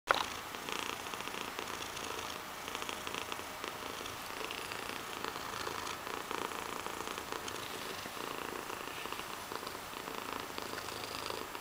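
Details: Cat with big eyes and giant paws purring steadily indoors, a soft, rough, pulsing rumble that continues evenly throughout with faint background hiss.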